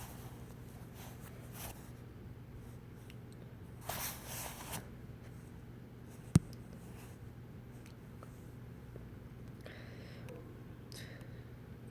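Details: Quiet indoor room hum with a few soft rustles, a brief scraping burst and one sharp click; no animal voice heard.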